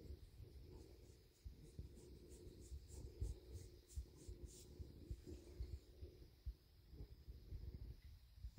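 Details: Deep pulsing rumble of a contented male bobcat purring after deer meat and a belly rub, the purr steady beneath rubbing and scratching sounds of handling.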